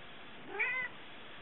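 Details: Male pet cat making a wimpy meow at the beam of a laser toy: a single short, thin call that rises then falls, about a third of a second long, over a faint steady hum.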